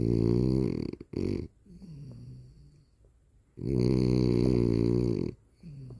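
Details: A dog snoring indoors: long harmonic rasping breaths in two main drawn-out bouts, each lasting over a second, separated by softer wheezy breathing.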